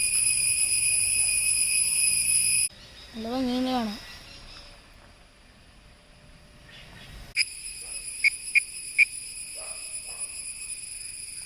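A cicada's steady, high, buzzing drone, broken briefly by a man's voice.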